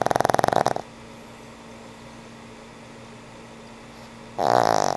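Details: Frank N. Stein, a sweet old pug, snores in sleep; a vibrating snore ends early, followed by quiet hum, then another loud rasping breath starts near the end.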